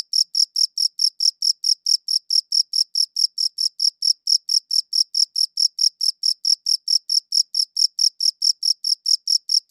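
A cricket gives steady, high-pitched chirps, pulsing rapidly and evenly without pause.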